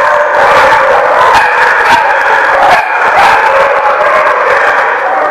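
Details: Chorus of dogs at The Barking Lot, recorded August 17, 2015, barking over one another in a constant, crowded wall of sound, with a few louder sharp barks standing out now and then.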